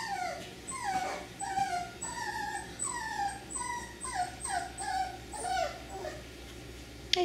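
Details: F1b Cockapoo puppies, three-quarters Miniature Poodle and one-quarter Cocker Spaniel, bred at Dyer Farms; a male sable black with red overtones among them. Repeated high, falling whimpers and squeaks, roughly one every half second, with faint background hum.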